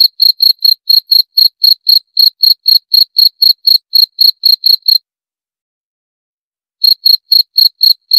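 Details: Cricket pulsing out high, shrill chirps about four per second for five seconds, falling silent for nearly two seconds, then starting again at the same rhythm.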